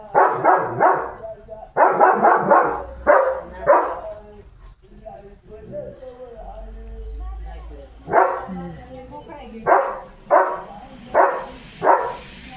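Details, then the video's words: Leo, a German Shepherd, barks at cattle in a run of sharp, harmonic-rich barks in quick succession, then a lull, then another burst of repeated barks; people's voices talk over and around the barking. "Leo The German Shepherd भुंकतोय गुरांवर"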